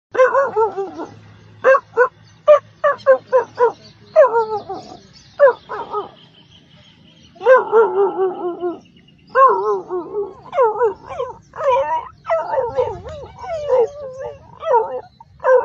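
A dog makes a run of short, wavering yelps and whining, howl-like moans that rise and fall.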